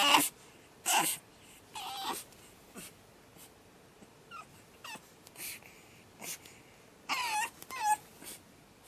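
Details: Pug puppy on its second night, giving short whimpers and yelps, a few louder bursts and several faint rising squeaks spaced about a second apart.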